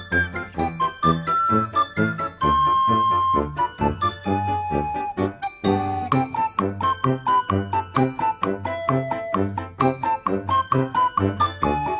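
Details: Cheerful jingling children's-style music with chiming bell notes and a bouncy beat; no animal voice is heard.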